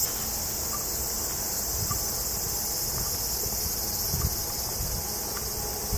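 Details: Cicada chorus in woods beneath the Yoro Mountains on Japan's Tokai Nature Trail, heading north to Sekigahara: a steady, high, hissing drone with no breaks, over low rumbling and scuffing that sounds like footsteps.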